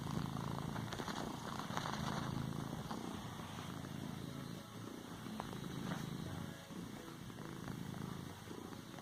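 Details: House cat purring as it pads a pillow, a continuous low buzzing rumble rising and falling in breath-length cycles, with faint rustles from its paws on the cushion.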